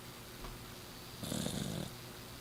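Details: Sleeping six-year-old Exotic Shorthair named Miss Piggy gives a single loud, raspy snore of about half a second, low and breathy like a person snoring, over a quiet indoor hum.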